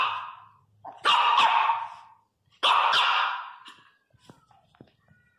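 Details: Three-month-old Miniature Pinscher puppy named Teco cries very loudly, two long strained wails about a second each, bright and slightly falling in pitch, separated by a short pause, followed by faint clicks and soft background sounds.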